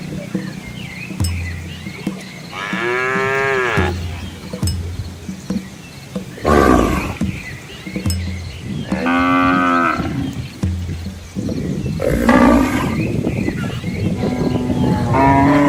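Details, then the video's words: Village cattle and young calves move along a scenic rural road in Asia past green rice fields. Three or four separate moos, each lasting one to two seconds, are spaced several seconds apart over a low humming background and scattered knocks. "Cow Sounds"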